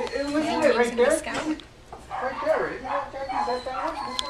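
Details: Rescued from animal control, Scout, a three-month-old female Yorkshire Terrier in the Chicago suburbs, whines in wavering, rising-and-falling whimpers, then fainter whiny notes, while people talk over her.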